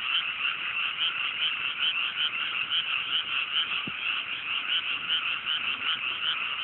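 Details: Frogs in full chorus on a clear cool night in rural Japanese rice paddies after planting; rapid rhythmic croaks repeating a few times per second, with one brief click midway.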